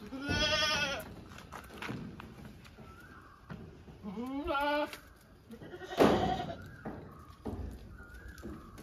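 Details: Domestic goats bleating, a long quavering bleat opening the recording and a shorter rising one mid-way, with a sharp knock and a faint intermittent high tone around them.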